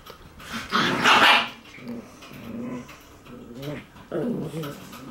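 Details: Shiba Inu puppies play-fighting, sounding like a quarrel though only playing: a sharp yapping bark burst, then throaty rumbling growls and whiny snarls, ending with a rising growl-whine.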